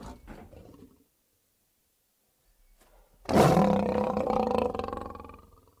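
A lion gives a deep, raspy roar that swells suddenly and then fades over about two seconds.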